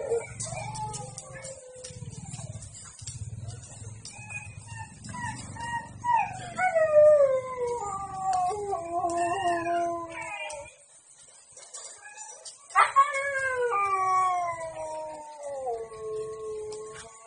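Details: A Siberian Husky at a breeding kennel gives long, wavering whines and howls that slide downward in pitch.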